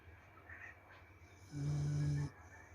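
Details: Sleeping corgi snoring: one low, steady droning snore of under a second with a faint buzzy overtone, set in a quiet room between softer breaths.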